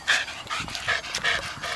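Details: Dog at Te Puru panting hard, quick breathy huffs in a steady rhythm of about three per second with bright raspy exhalations, a little outdoor background hiss behind them.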